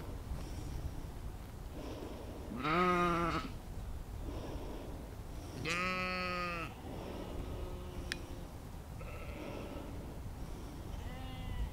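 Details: Field recording of sheep out in nature, immersive spatial audio made with an Insta360 X3 and Zoom H2n: two strong, shaky, nasal bleats about three seconds apart, followed by softer, fainter calls over a low background hum.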